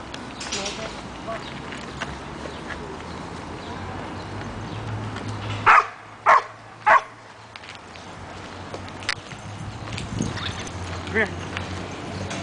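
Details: Porkchop, a dog on his first time at the dog park, June 6, 2009: three sharp, loud barks come in quick succession about half a second apart midway through, over steady outdoor background noise and faint voices.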